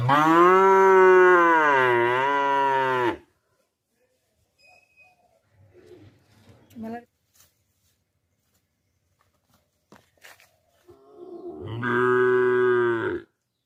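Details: Cow mooing: a loud harmonic low moo of about three seconds with a slight dip in pitch, a quiet stretch with faint scattered sounds, then a second shorter moo near the end.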